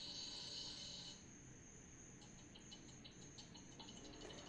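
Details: Crickets outdoors at night, picked up by a camera microphone from some distance. A bright high buzzy trill fills the first second, then fainter rapid pulsed chirps repeat over a low background hiss.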